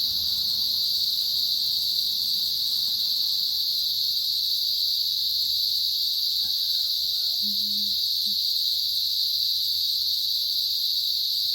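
A dense chorus of cicadas fills the air with a continuous, shrill buzz, unbroken and even in loudness throughout. A few faint low sounds briefly show up beneath the insect drone.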